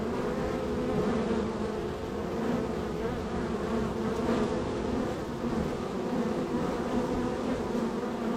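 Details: Honey bees at hive #3 in a row of hives, extremely active with bees entering and departing; a dense, steady droning hum with layered tones holds throughout, evenly loud with only slight swells.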